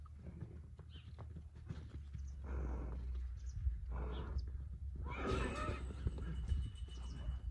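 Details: Young stallions and mares playing together before mating, giving three harsh, breathy bursts of a few seconds each, the last loudest, over a steady low rumble and hoof movement.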